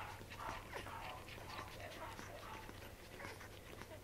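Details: Newborn Welsh corgi puppies drinking their mother's milk, recorded 15 June 2013: soft, high squeaky whimpers and short squeals repeated irregularly over busy suckling and shuffling noises, with a steady low hum underneath.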